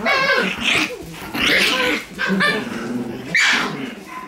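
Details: Two Shiba Inu puppy siblings play fighting; high, yelping growls and whiny snarls come in four loud bursts about a second apart, with harsh, noisy overtones.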